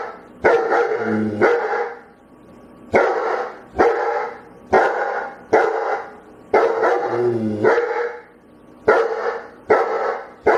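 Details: Dog barking in a begging manner: loud, full barks in pairs and singles about every one to two seconds, some ending in a whiny, rising tone.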